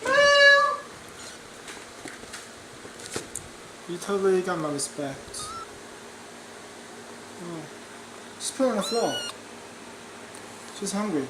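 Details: Kittens meowing indoors: a loud, steady, high meow opens, followed after a pause by wavering, falling meows, a short quiet mew, a strained double meow, and a final rising meow, with quiet gaps between calls.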